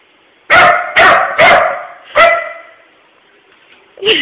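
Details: Puppy named Pooper (real name Dylan) barking up a storm at work at closing time at an empty puppy-shaped tissue holder: four loud, harsh barks in quick succession, then a pause and a sharper yelp-like bark at the end.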